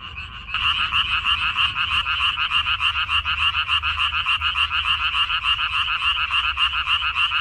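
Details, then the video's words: Many frogs calling from a minari (water dropwort) field in Korea on May 14, 2021; after a quieter start the chorus surges loud, rapid rattling croaks pulsing evenly in two bright pitch bands throughout. "고향 생각 나게 해주는 개구리 소리, 미나리밭의 그놈들, Croaks of Frogs, Sounds of frogs, Song of frogs"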